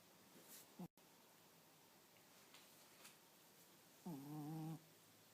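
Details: Nino, a sleeping pet Chihuahua, snores: one brief faint catch near the start, then a single clear, droning, humming snore of almost a second, steady and tonal with rich overtones, in a quiet room with small clicks.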